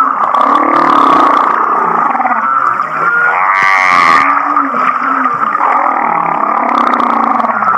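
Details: Humpback whale off Kihei, Maui, singing a song likened to laughing: a dense wash of mid-pitched wavering tones with a burst of quick rising pulsed notes near the middle and brief hissy bursts.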